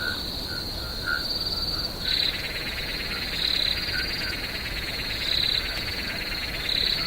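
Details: Crickets calling at night in a swamp: a steady, shrill high-pitched trill runs throughout, with louder pulsing bursts every second or so and a dense, lower buzzing chorus that swells in after two seconds.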